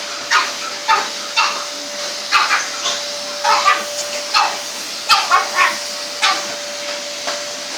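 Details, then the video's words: Pug and French Bulldog barking at a vacuum cleaner running indoors; sharp repeated barks in irregular bursts, some doubled, over the steady hum and whine of the hoover. "Pug and French Bull Dog go mad at our hoover haha x"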